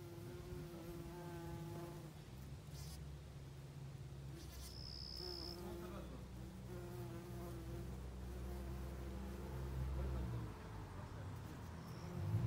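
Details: Bumblebee lingering in a garden makes a low, droning buzz that wavers in pitch as it moves about. A brief high whine cuts in midway over quiet background noise.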